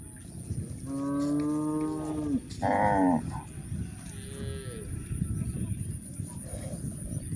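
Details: Grazing village cows lowing on a countryside pasture: a sustained moo of over a second that dips at the end, followed quickly by a short louder one, then quieter rustling and munching.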